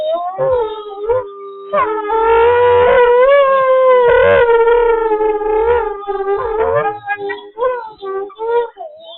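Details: Group howl of captive wolves at the International Wolf Center, Ely, Minnesota, recorded from a live wolf cam; multiple sustained, slightly wavering voices overlap in a thick chorus that thins toward the end into shorter broken yips and wavers.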